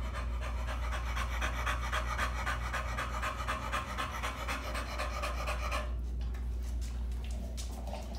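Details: American Bully named Clayton, upset after getting his vaccines at the veterinarian's office, pants rapidly and steadily at about four breaths per second, the breathing easing slightly over the final two seconds.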